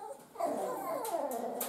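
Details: Miniature Schnauzer puppies indoors at feeding time, eager for food: a high, tonal whine that swells, then slides slowly downward over about a second, with faint hiss behind.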